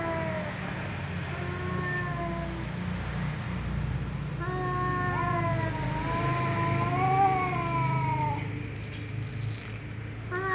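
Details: Angry tom cat meowing at a ginger cat that keeps meowing; quieter, distant drawn-out wavering yowls with overlapping voices, a long rising-and-falling howl near the middle, over a steady low hum.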